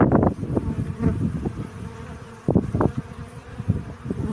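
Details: Pollen-collecting honey bee buzzing close by, rough low hum in uneven bursts, loudest at the start and again midway, as a bee moves around near the recorder.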